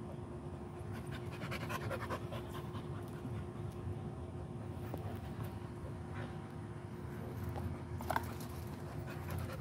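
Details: American Pit Bull Terrier panting, soft rough breaths in a steady stream beneath low background rumble, with brief louder bursts near the end.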